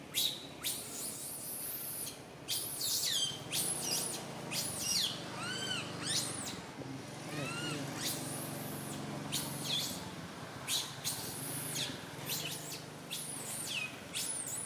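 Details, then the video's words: Baby monkey Santo crying loudly on a tree branch, mother Sara unable to care for him; a dense run of shrill, sharply arched wails and squeaks comes in quick bursts, with some low rumbling noise underneath. "Little Monkey SANTO cries on the branch tree so loudly Mama monkey SARA can't take care of him"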